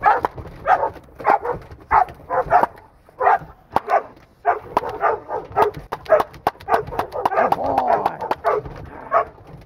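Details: Crated Pinscher undergoing agitation work for protection training gives bursts of loud, rough barks in quick clusters, some doubled, over about ten seconds, with a man talking and urging in the background.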